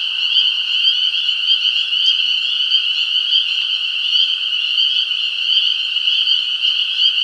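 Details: Unbroken frog calling forms a shrill, even trill with stacked overtones and gentle throbbing. A brief click sounds around the two-second mark; the chorus continues steadily beneath it.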